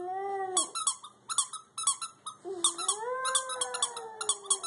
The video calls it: Sasha the Schipperke howls to a squeaky toy